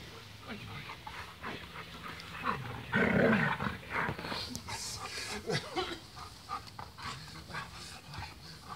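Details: Golden Retriever playing in a garden: rough, breathy huffs and pants in irregular bursts, loudest and fullest midway, mixed with people talking in the background.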